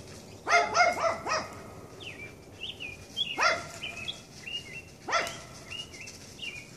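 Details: Red fox (Vulpes vulpes) being chased on a Sunday evening gives harsh, rising-and-falling yelping calls in quick bursts, with faint bird chirps between.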